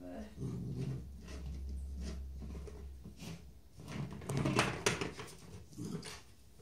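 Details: A Rottweiler puppy about 9 weeks old, playing with a bone, grumbles in low, rough growls, with sharp knocks and clicks between them.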